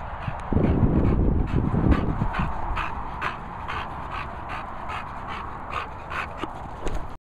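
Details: Rapid huffing pants come from a hungry female English Bulldog. A heavy, rough snort opens the sequence, then quicker, lighter breaths follow at a steady pace until a final short snuffle.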